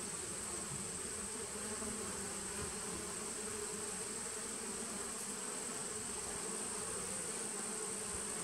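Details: Steady droning of honey bees in a nuc colony started in 2017, taken 19 September 2018. The buzz stays even and unbroken, a low rich hum layered under a constant high, thin tone.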